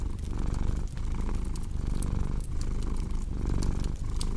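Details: Domestic cat purring, a low throaty rumble swelling and fading in regular breath cycles about once a second, with crackling fire sounds in the background.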